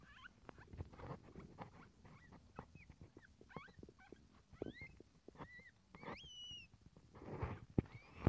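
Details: Captive Lombok civet crossed with an Asian palm civet, during its second birth; many short, high, upward-sweeping squeaks come in quick, irregular succession, mixed with soft rustling and clicks.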